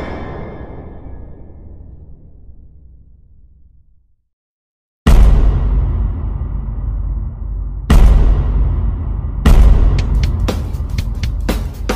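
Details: A fading rumble drops to silence, then booming bangs and whooshing bursts hit in sequence, ending in rapid sharp pops, with no animal voice.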